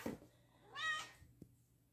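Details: A fat pet cat gives a single short, tonal meow lasting about a quarter second, with low bumps and a click before it. Indoors, a person coaxes it with "come on".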